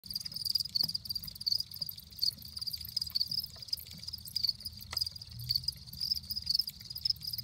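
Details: Crickets chirping with their wings: rapid pulsed chirps in a steady high band, repeating several times a second, with occasional clicks and a low rumble underneath.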